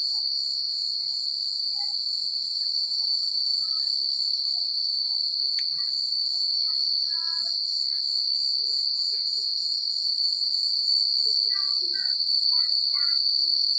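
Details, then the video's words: Countryside crickets at night produce a constant, high, rapidly pulsed trill, accompanied by sparse soft chirps and short whistled notes scattered throughout, plus one sharp click. "The Sound of Crickets at Night"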